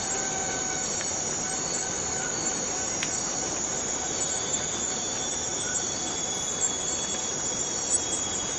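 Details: Cicada in the Borneo rainforest giving a continuous, steady high-pitched metallic drone that holds without a break for the whole stretch, with a few faint thin whistled tones in the background.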